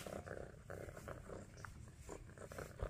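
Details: Orange tabby kitten purring while hyper and playful, a steady low rumbling purr with fast regular pulses throughout, broken by a few brief higher rustling bursts of movement.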